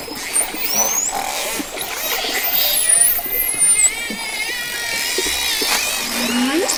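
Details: Dolphin whistling: thin, high sliding tones sweep up and down and overlap, with wavering lower tones and scattered clicks over a steady hiss.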